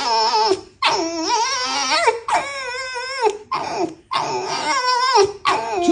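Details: Domestic red fox talking before bed: loud, wavering, harmonic whines and moans in long drawn phrases separated by short pauses, rising and falling in pitch, with a brief sharp cry at the end.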